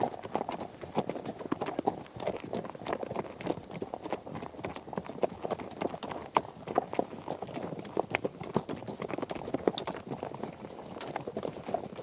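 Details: Herd of horses trekking across mixed terrain such as grass, dirt and gravel: a dense, continuous clatter of overlapping hoof impacts, irregular and thudding, with no pauses and no calls.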